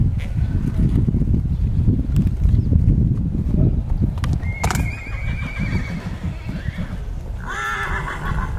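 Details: Colt foal of the Clarcon / Landos / Painter's Row xx pedigree gives a high, thin tone, then a short wavering whinny near the end, over steady low rumbling and hoof noise.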